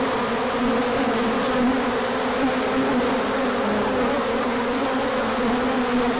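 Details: Bees taking a large orientation flight as sunshine follows colder days, 24 March 2024: thick continuous droning from many insects, a steady hum band that wobbles slightly, nothing else audible.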